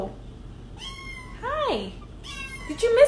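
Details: Siamese kitten indoors giving short meows, one a sharply falling squeaky cry, amid harmonic-rich mews and a person speaking nearby.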